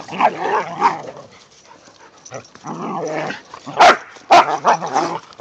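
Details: Whippets Mikey and Kieran romp with a rat terrier and Zoe in the season's first light snow: rumbling, harmonic play growls in bursts, broken by two sharp, loud barks near the end.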